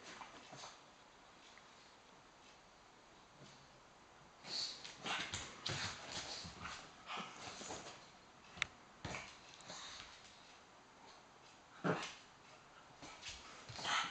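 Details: Two pugs, Teddy and Floyd, play-fighting over a sofa indoors as Teddy gains the high ground; scattered breathy snorts, sniffs and short grunting bursts come in irregular clusters, with quiet gaps between.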